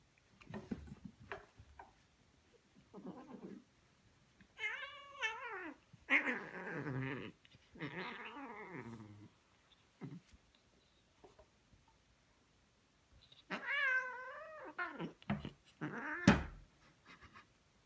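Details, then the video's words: Ragdoll cats, about thirteen and ten months old, indoors reacting strongly to silvervine for the first time: loud drawn-out wavering meows and caterwauls with bending harmonics, in bursts around five to nine seconds and again near fourteen seconds, with short quieter sounds between. "[Ragdoll cat] 생애 첫 마따따비!"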